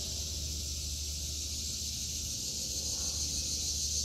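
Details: Unbroken shrill buzzing of cicadas across a vegetable garden in August 2023, an even hiss-like wall of sound with a low steady hum below and no other voices.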